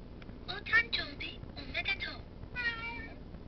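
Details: Cat meowing: a series of short nasal meows in two bursts, then one longer drawn-out meow with falling tone, over a low steady background hum.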